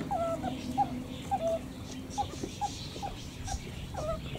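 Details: Meerkats giving short high chirps and peeps, some slightly rising, repeated irregularly about every half second over a steady low hum.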